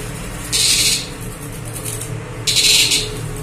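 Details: A young cicada that is not yet old is handled and then released. As it flies it gives two harsh, high buzzing bursts, each about half a second long, two seconds apart.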